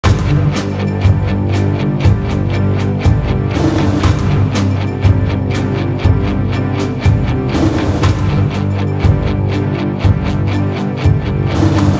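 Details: Loud, driving rock music with heavy drums and distorted instruments fills all twelve seconds; no animal voice can be picked out.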